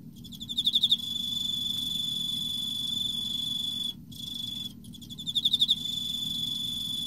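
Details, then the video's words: Emma field cricket in autumn: a burst of rapid pulsed chirps, high and bright, opens the clip and flows into a long steady high trill. The trill breaks off briefly near the fourth second, then another chirping burst and trill follow. "エンマコオロギ 秋 綺麗な鳴き声"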